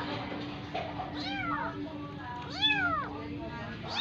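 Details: Adopted Persian kitten pushed to nurse from a cat other than its own mother calls with two drawn-out, rising-then-falling meows and the start of a third, over a constant faint electrical hum.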